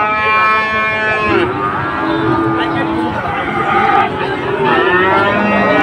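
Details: At a Dhaka cattle market on 16 September 2024, Sahiwal bulls low repeatedly. A long, bright, harmonic moo breaks off, then lower, rougher calls follow against background chatter and market clamour.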